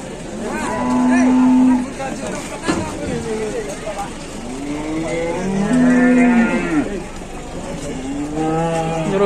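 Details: Cattle at a farm, a calf running wild and charging about; several drawn-out harmonic moos overlap, a strong low one near the start and another near six seconds, with other cattle and human voices in the background.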